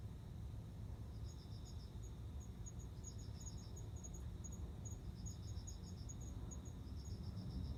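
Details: Male cricket courting a female before mating: high, thin chirps in short pulsed bursts, some trains of several quick pulses and some single ticks, over a steady low rumble of background noise.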